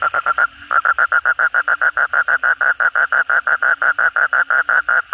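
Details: Kodok bangkong, the Asian common toad, calling energetically at night after heavy rain: a fast train of short, even croaking pulses, about five per second, with one brief pause near the start.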